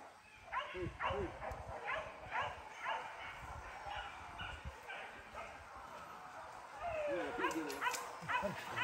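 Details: Hunting dog Max during a first training session at the PORBI gathering at Sungai Pingai, giving steady repeated barks about twice a second, a few howl-like rises near the end, and voices in the background.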